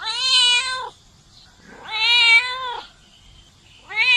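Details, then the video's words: Domestic cat giving long, clear, rich meows, each rising then falling and lasting close to a second, with pauses of about a second between them. "Мысық дауысы | Meowing cats | Мяуканье кошек"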